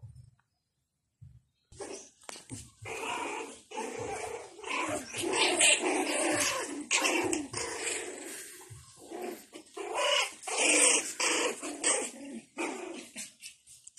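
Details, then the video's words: Five-week-old Japanese Spitz puppies at play, giving a busy run of short, rough yips and growly squeals that come in quick, uneven bursts, indoors in a small room, with a short quiet gap near the start. "Japanese spitz puppies, Play time ( 5 weeks old)"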